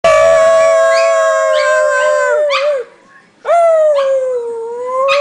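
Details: Pet dogs howling together, singing as a group: long sustained harmonic howls that sag slightly in pitch, broken by short rising yips, a brief pause near the middle, then the howling resumes strongly.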